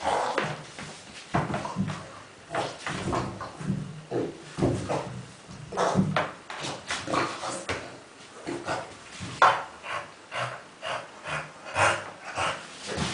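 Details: Kuba, a dog playing among tennis balls indoors, makes pig-like grunting snorts in a steady series of short bursts roughly every half second to second, with some knocking of balls and soft background noise in a small room.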